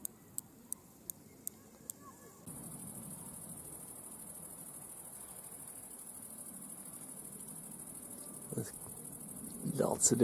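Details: A male grasshopper sings to attract a mate, its unusual song a short series of sharp ticks, then a continuous high hiss of other species chirping in the background, in a restored French meadow; found as bush cricket.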